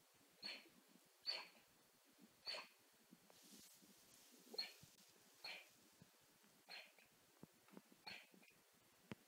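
A sleeping Golden Retriever puppy makes soft, airy whimpers, each about a second apart. Some carry a thin, high squeak at the start, and the series trails off into fainter puffs and snuffles.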